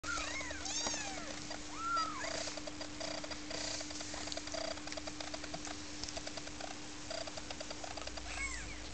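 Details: British Shorthair kittens from a litter born 15 July 2009 give brief, high, arching mews over rustling, clicking sounds and a steady hum.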